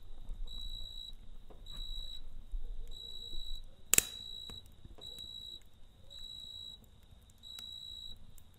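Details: Cricket chirping at night beside a campfire: high, steady trilled bursts about half a second long, repeated roughly every second, over low fire rumble and a sharp crackling pop midway.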